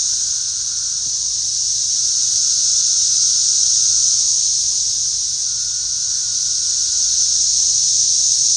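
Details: Numerous cicadas in flight and calling, likened to a flying saucer, produce an even, piercing, hissing drone that swells slightly and stays constant throughout.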